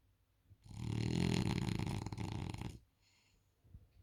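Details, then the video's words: Isla, a French Bulldog dozing on the couch, produces a single drawn-out rattling snore of about two seconds, loudest at the start, followed by quiet breathing and a faint snuffle. "French Bulldog Snoring"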